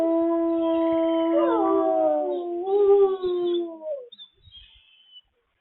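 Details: Wolf at the International Wolf Center in Ely, Minnesota, recorded from a live cam, holds a long steady howl, joined by a second voice that slides downward; the tones fade out into quiet near the end.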